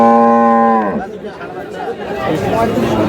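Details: Cattle at Aftabganj cattle market in Dinajpur, among improved-breed dairy cows and calves, dated 1/8/26: one steady, tonal moo of about a second that drops at its end, followed by men bargaining over prices in Bengali amid market chatter.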